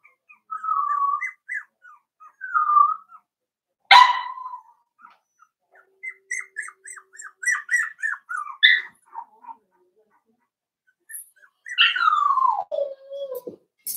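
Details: Daisy's 4-week-old Cavalier King Charles Spaniel puppies in a pen cry with repeated short high whimpers, one abrupt yelp, a rapid run of tiny squeaks, and a final drawn-out whine falling steadily in pitch.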